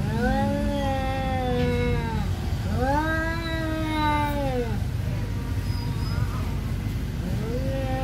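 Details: Siamese cat in rage at an orange cat refusing to leave its territory: long arched yowls, each swelling then sinking over about two seconds, three in a row, over constant low street noise.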